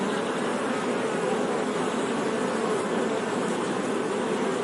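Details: Steady low buzzing of honey bees, a smooth layered drone with no breaks or rhythm changes over the short stretch, nothing else clearly audible.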